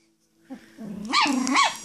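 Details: Pomeranian growling during rough play fighting with another dog indoors; low rumbling growl rising into two sharper, harmonic-rich snarling yelps near the end, with a brief voice just before.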